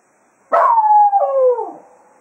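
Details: At Quail Roost after a foxhunt, Jack Russell Terrier Cato serenades the departing hounds with one strong howl that starts harsh, then glides down and wavers before fading away.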